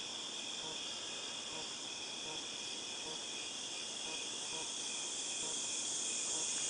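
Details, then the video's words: Cicadas calling in August 2018: a steady, unbroken high shrill drone with a fainter band beneath it, droning on without pause for the whole stretch. "Cicadas Tinnitus Sound"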